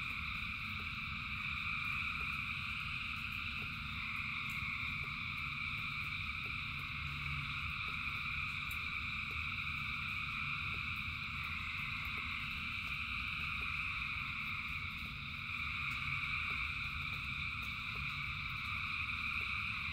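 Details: Thousands of frogs calling together in rain, a dense continuous chorus of shrill trilling bands with steady low rumble underneath and faint scattered rain ticks throughout.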